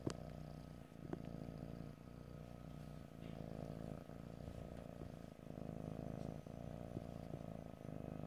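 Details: Domestic cat purring steadily in stereo, a continuous low rumbling throb with rhythmic pulsing, broken by a few faint clicks and soft rustles; no talking.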